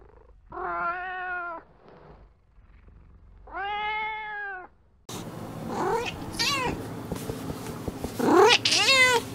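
A domestic cat gives two long, steady meows, then more wavering meows against a noisier background.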